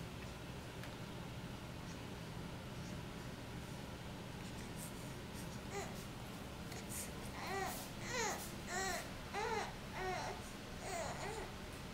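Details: Indoors in a small room, a baby babbles and coos in short repeated vocal bursts over a low steady background hum.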